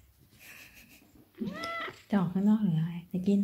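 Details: Maine Coon cat indoors, being affectionate, gives one short rising-then-falling meow before a woman's Thai speech takes over.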